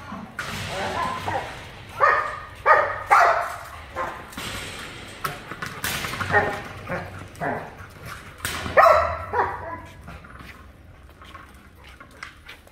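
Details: Giant Schnauzer called Reese, at a new location, giving a few short harmonic barks and whines among a person's spoken commands to sit, lie down and leave it.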